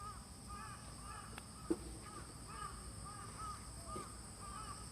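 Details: Autumn insects calling in a park in Hachioji, Japan, early morning on 6 September 2020 under light rain after a downpour, no cicadas; steady high continuous buzzing bands with faint repeated chirps, a crow caw and a sharp knock.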